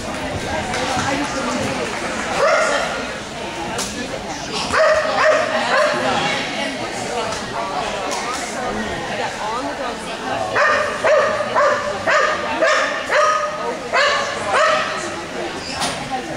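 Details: Boone, a Soft Coated Wheaten Terrier, on a clean agility run over the JAG Excellent Standard course at Dream Park, gives short sharp barks, in bursts midway and a quick repeated series near the end, over people talking and background chatter.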